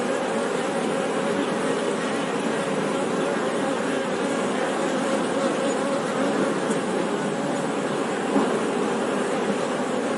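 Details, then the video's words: Honey bee buzzing forming a continuous, thick drone that holds a low hum steady for ten seconds, layered with rough hiss-like texture and a brief faint tick near the end. "Bee Sound 🐝 | Sonido de Abeja | मधुमक्खी की आवाज़"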